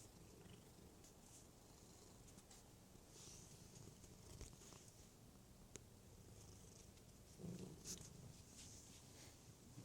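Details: Domestic cat purring steadily in a low, rough rumble throughout, with faint higher rustles and clicks above it.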